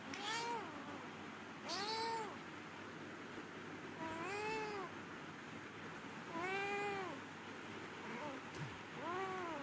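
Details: Domestic cat meowing five times over about ten seconds, each meow a clear rising-then-falling arched cry, spaced irregularly, with a woman speaking softly in Bengali between calls.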